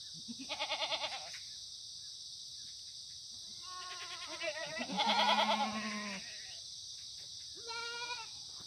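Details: Pastured Korean black goats on a Gimhae hillside farm below Muchuksan, South Gyeongsang, sunny Monday morning, September 2019, no antibiotics used. Tremulous bleats from several animals, one long loud vibrato cry in the middle, over constant high-pitched background hiss.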